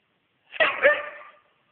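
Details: Weimaraner dog giving a single short, hoarse bark with a double-peaked onset, fading within about a second in a quiet indoor setting.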